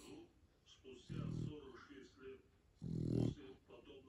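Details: Shar Pei dog snoring in its sleep: two low, throaty, rasping snores about two seconds apart, separated by quieter breathing.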